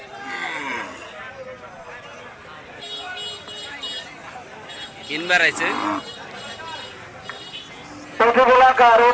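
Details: Cattle at a large livestock market for cattle and buffalo in Bangladesh, held ahead of Eid al-Adha and lit at night. A wavering moo rises from the crowd, then a loud, harsh bellow comes near the end. Constant talking, announcements and market bustle fill the background.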